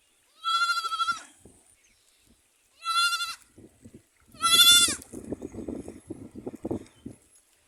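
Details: Goats kept on a small farm where many animals are present: three loud, wavering, nasal bleats, each lasting under a second and spaced about two seconds apart, followed by a person talking.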